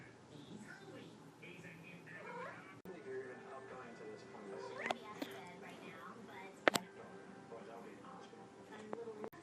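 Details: A chatty male kitten gives short meows while a woman talks to him in a coaxing voice.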